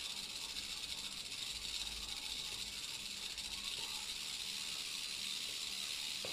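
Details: Central American rattlesnake (Crotalus basiliscus) in a terrarium enclosure, giving a steady, dry, hissing buzz that holds evenly for about six seconds before stopping abruptly, with no other clear sounds.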